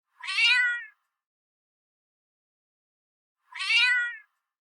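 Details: Domestic cat gives two short, bright meows that rise and then fall, roughly three seconds apart, with silence in between.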